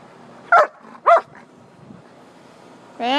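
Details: Poodle and shepherd at play in a backyard; two quick barks half a second apart, a pause, then a person's voice begins at the end.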